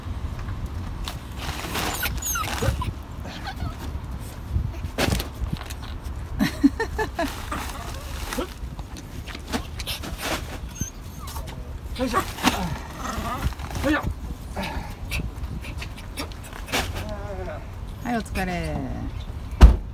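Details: Two Pomeranians, Pon and Shimba, wait impatiently for their owner, who is shopping inside a home-improvement store. Repeated high whines slide downward, mixed with rustling, thumps and steady background noise.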